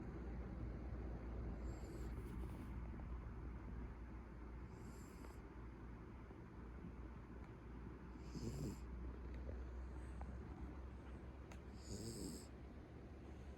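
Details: Pet Beagle asleep at home, its snoring said to escalate until it sounds like a middle-aged man; hissy snore breaths about every three seconds, faint beneath a steady low hum.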